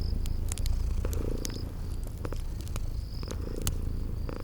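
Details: Sleeping kitties purring beside a crackling fireplace in a spring garden ambience: a steady low rumbling purr throbbing underneath, with sharp crackles and pops from the fire and short high cricket-like chirps repeating through the background.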